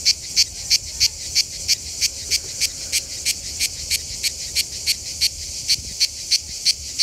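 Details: A manna cicada (Cicada orni) sings at a rest area south of Lyon in the Mediterranean summer, giving a steady series of harsh, rasping pulses, about three every second.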